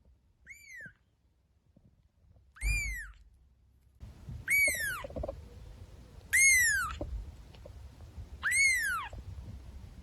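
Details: Meowing house cat from a funny cats compilation: five ringing, arched mews repeating roughly every two seconds, growing louder after the first two, against a low steady indoor rumble.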